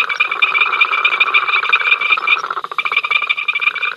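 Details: Frogs at Ol Donyo, picked up by the africamLIVE live camera on 5 October 2023, making their incessant row: a dense, loud chorus of rapid pulsed croaks layered in several bands, overlapping continuously with no pauses.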